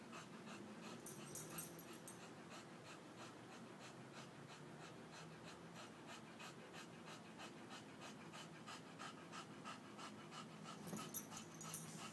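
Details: A Scottish Terrier at play pants rapidly and steadily, about three breaths per second, in a rhythmic, breathy pulse. Brief high rustling sounds come near the start and again near the end.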